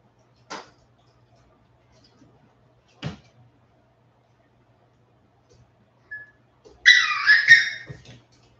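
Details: West Highland White Terrier puppies, 47 days old, back indoors after an outdoor break: a few soft taps and knocks, then one brief, strained, rising-and-falling whimper near the end, in a quiet small room.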